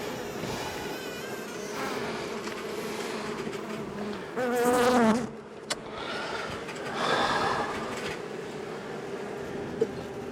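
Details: Honey bees from a long-time wall colony, agitated at dusk while being cut out of a house on March 6, make a continuous low droning hum throughout, with a short burst of a human voice midway and a faint click near the end.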